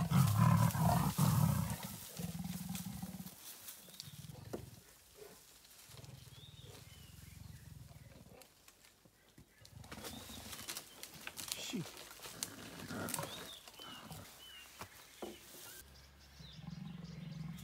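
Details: Two female leopards, one much larger than the other, clash over an impala kill and a cub at Londolozi Game Reserve; deep rumbling growls and snarls come in bursts, with a steady low hum and rustling behind.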